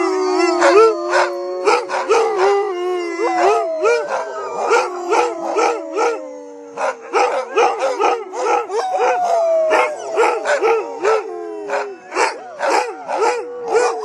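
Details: Several Siberian huskies in Lapland raise long, sliding howls that wobble in pitch and overlap one another, while short yips and barks break in repeatedly between the sustained notes.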